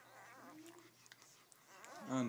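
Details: Rhodesian Ridgeback puppies, five days old, in their first litter indoors: a short rising-and-falling whine opens, soft squeaks follow, and a louder bending cry ends the moment beside quiet speech and a low hum.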